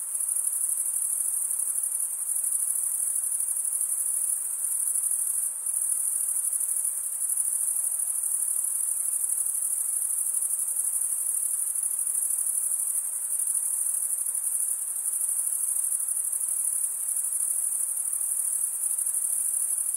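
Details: Crickets chirp nonstop, the males producing the sound by scraping one wing's serrated vein with the other; a high, even, rapidly pulsing trill holds steady for twenty seconds with only slight dips in loudness.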